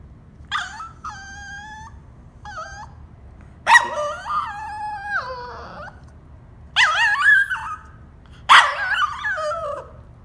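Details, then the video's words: Caged Cavalier King Charles Spaniel at bedtime, whining and half yawning because it wants out; a series of short, high, harmonic whines and squeaky yelps in bursts, some sliding downward, separated by brief quiet gaps. "Cavalier King Charles spaniel cute whining sound"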